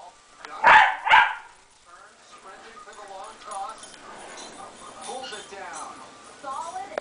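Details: Two dogs, Moe and Porter, playing together on a Sunday morning: two sharp, loud barks in quick succession open the recording, followed by quieter, wavering voiced sounds and low murmuring through the rest.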